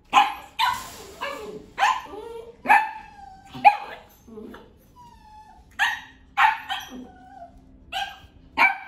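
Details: A 12-year-old white female poodle mix barks repeatedly, sharp high yaps coming about once a second in an irregular series, with short squeaky whines between some barks.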